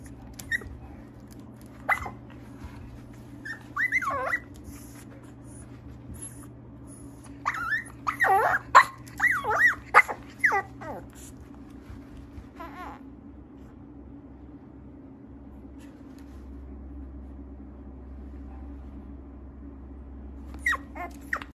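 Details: Mixed-breed dog at a breeder's home in Okayama, Japan: bursts of high whimpering yips and short barks, clustered around the middle and scattered elsewhere, over a steady low appliance hum.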